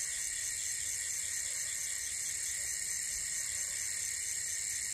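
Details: Night crickets around a solo wild campsite on Salak Mountain near Bogor, West Java, Indonesia, form a constant shrill buzzing drone. Multiple high, thin tones overlap evenly with no breaks, like a continuous electric hum.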